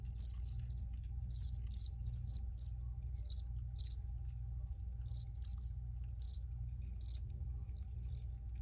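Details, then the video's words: Crickets recorded for relaxing listening: bright, clipped chirps in small bursts roughly every half to one second, with a faint constant low hum beneath. "Free Cricket Sounds for Re-Use or Relaxation"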